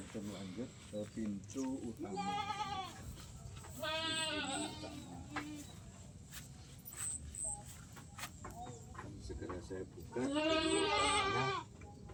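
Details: Farm goats bleat in loud, wavering, nasal bursts, apparently calling out to ask for something, with a man talking in Indonesian between the calls.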